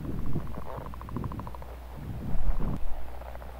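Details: Leopard frog males giving mating calls in southern Manitoba in April: a long drawn-out snoring run of rapid pulses, each burst repeated quickly for about two seconds, then a louder rough grunting burst near the end; steady low hum beneath.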